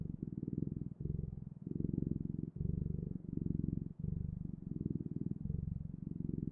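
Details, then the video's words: Pet cat purring loudly and evenly, a throaty low vibration pulsing with each breath about every second, no other sounds present. "Purring Clouds: The Best, Ultimate, and Magical Sounds of Cat's Purring"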